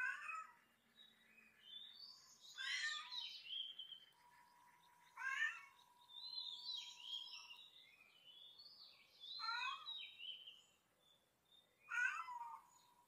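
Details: Cat meowing in a funny cat compilation: short, high, strained mews at uneven gaps of one to three seconds, some bending upward, over a faint steady hum.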